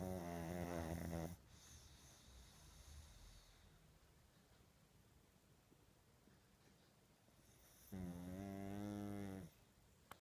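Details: Sleeping pug, said to sleep a lot lately, perhaps from age, snoring loudly: two rasping, buzzy snores, each about one and a half seconds long and some seven seconds apart, with soft breathing noise between them.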